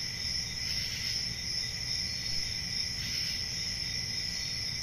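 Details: Country summer night with crickets chirping in a constant high trill, faint pulses recurring roughly two to three times per second, a softer lower tone underneath and gentle low rumble.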